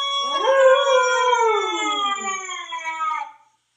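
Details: A Siberian Husky howling to himself lets out a single drawn-out howl, rising sharply at the start and then sliding gradually downward, full and ringing, lasting about three seconds before fading.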